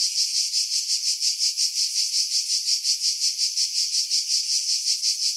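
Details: Pine-dwelling cicadas on Skiros Island, Greece, at Pefkos Bay in July 2018, recorded with a Sony RX3 and external mic: continuous rasping high-pitched drone throbbing in steady pulses nearly three per second, wind filtered out.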